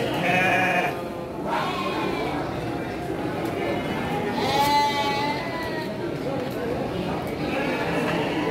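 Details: Garut sheep ewes for sale at the Andir sheep market in Garut, Indonesia, 5 April 2021: several quavering bleats from more than one animal, spaced a few seconds apart, over constant chatter of traders and buyers.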